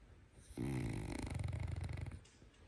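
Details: Fat French Bulldog snoring indoors: one long, loud, low rattling snore lasting about a second and a half, vibrating rapidly with a buzzy fluttering texture before fading out.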